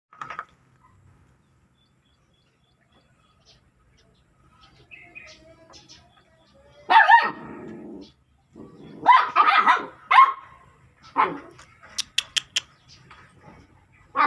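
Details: Dog barking in loud bursts, a single sharp bark at the start then a quiet gap, followed by a run of rough, harsh barks and yelps with short pauses between them.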